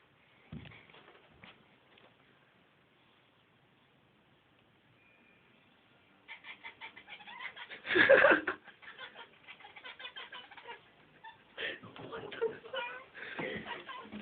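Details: Pet cats hunting a fly they cannot catch, making noises as they try; near-silence gives way to a fast series of clicking, chattering pulses, one loud strained cry in the middle, then more chatter.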